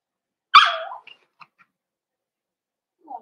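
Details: Cavalier King Charles Spaniel at the Red Barn Cavaliers puppy pen, where the puppies meet older big dogs for socialization on December 13, 2022. One sharp, loud yip falls into a short downward whine, followed by a few faint clicks and a soft whimper.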